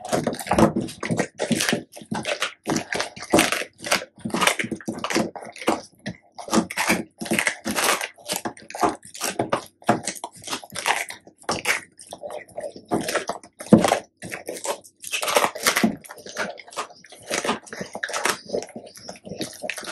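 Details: Labrador Retrievers Tico and Remi, one black and one yellow male, eating raw duck necks and homemade duck neck jerky indoors; dense, fast, wet crunching and crushing bites in close succession through the whole stretch.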